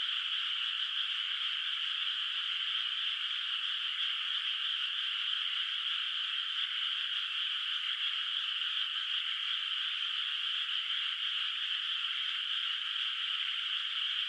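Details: Night chorus of frogs echoing across a quiet moonlit rice field in the countryside, no rice planted yet; many high croaking voices overlap into one even, shimmering trill that never breaks.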